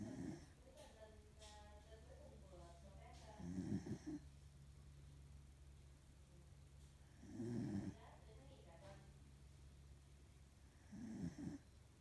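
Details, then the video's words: A sleeping female corgi snores heavily indoors. Low, rasping snorts come about every four seconds, with four separate breaths in all. Faint voices murmur in the background between the snores. "Corgi snores"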